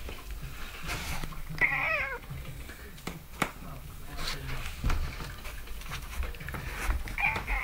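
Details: Domestic cat replying to its owner with a wavering harmonic meow near second 2 and a faint second call near the end, over low rumble, clicks and occasional Dutch speech.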